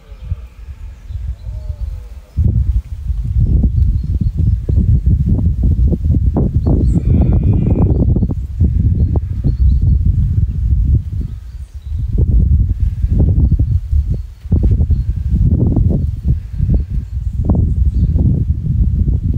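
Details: Red deer stag during the rut on Exmoor in 2023, a dominant stag among hinds at first light, mobbed by a smaller stag and six prickets; deep, rough, pulsing roars in long bouts with short breaks, heavy low rumble throughout.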